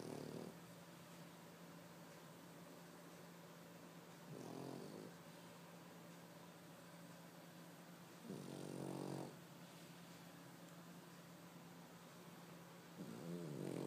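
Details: Loud snoring from a sleeping three-year-old white Pekingese dog: rough, buzzy snores of about a second each, coming roughly every four seconds, with a constant low hum underneath.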